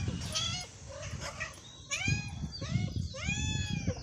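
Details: Morning meows from a hungry cat. Two or three bright, arching meows, each falling at the end, over low background rumble and faint thumps.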